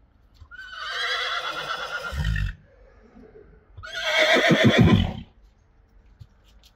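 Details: Friesian mares during weaning, whinnying as they are moved into the arena; two loud, shaky whinnies about two seconds apart, the second ending in rapid pulsing snorts, with a short quiet gap between.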